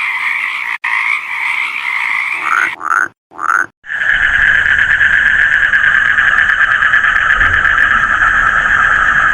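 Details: Frogs calling in their natural habitat: a dense, buzzing chorus with a few rising croaks standing out, a brief break near the middle, then a steady, even drone of calls.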